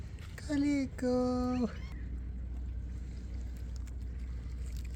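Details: Homeless, hungry stray cats asking for food at night, one calico among them: two drawn-out meows in the first two seconds, each held level then dropping at the end, over a steady low rumble, then quiet background.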